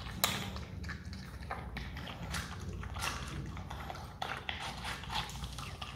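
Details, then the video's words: Himalayan marmot kept as an adopted pet, eating watermelon: dense, irregular crunchy bites and wet chewing bursts spread across the clip, over a steady low background hum. "awesome sound when marmot eats watermelon"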